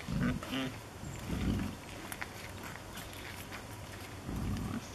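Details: Wild boar piglets at Skandinavisk Dyrepark, exploring their surroundings and wagging their tails, give short, low grunts and a brief nasal squeal in separate bursts.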